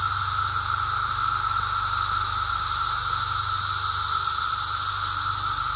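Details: Brood X periodical cicadas during their emergence, heard on a walk: a dense, unbroken chorus with a steady droning band and a loud, hissing high whir that holds level throughout.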